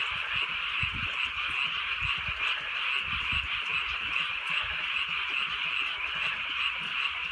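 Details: Night in the rural countryside with gentle rain falling; many frogs calling together in a steady wall of high croaks, pulses coming roughly two and a half times per second, soft low rain thumps beneath.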